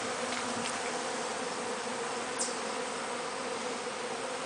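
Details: Honey bees at a real hive during honey harvesting, a steady droning hum over a loud hiss of wings, with a brief high tick partway through.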